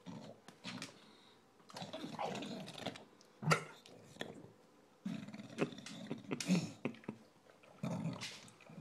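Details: A recently adopted male English Bulldog eats his dinner noisily, with snorting grunts, wet smacking and snuffling in uneven bursts.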